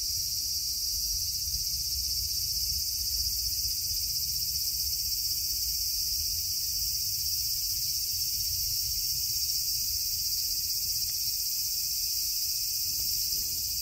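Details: A cicada clinging to a tree on 16 August 2024 sings a steady, high, hissing drone that carries on without a break.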